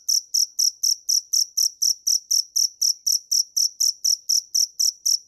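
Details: Cricket (dế mèn) chirping steadily, about four sharp, pulsed chirps per second, each a bright high-pitched trill with a faint higher overtone, even in loudness throughout; no other sounds.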